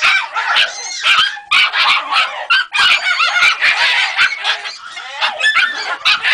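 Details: Jagdterrier puppy, three months old, squealing in rapid bursts of high, wavering whines and yips, loud and crowded, broken by brief clicking knocks.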